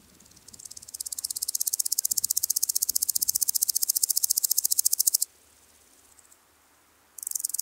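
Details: Woodland grasshopper on Gaisberg, Austria, 15 September 2023: a high, rapid ticking song builds from soft to loud over five seconds, breaks off into quiet, then starts again at the end.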